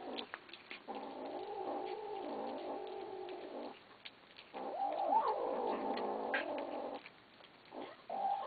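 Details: Feeding kittens, having begged for food, growl at one another while eating; loud, sustained, rough harmonic growls of around three seconds each, rising and falling slightly, with brief quiet gaps.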